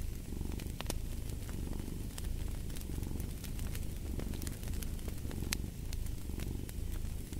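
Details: Cat purring steadily as a low, continuous rumble that gently swells and eases, with sharp crackles and pops from a fireplace scattered throughout.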